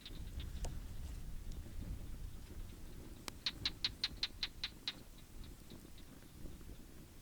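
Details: Cicadas hidden in their holes near a campfire bivouac by the dunes of Namib-Naukluft National Park, Namibia, give a quick run of sharp, high clicking chirps over steady wind rumble.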